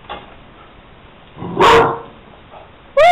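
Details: Pet puppy reacting to being asked where its absent owner is while he is at work: a single sharp bark midway, then a rising, whining yelp at the end, with quiet background between.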